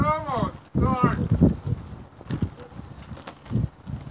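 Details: A newborn Barbados Mouflon cross lamb at Gray Sheep Ranch bleats twice in quick succession, both calls short and quavering, followed by rustling, thumps and movement noise.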